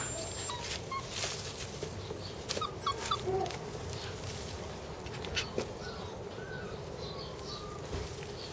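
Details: Border Collie puppy siblings give brief, thin whimpers and squeaks over a background of rustling and knocking.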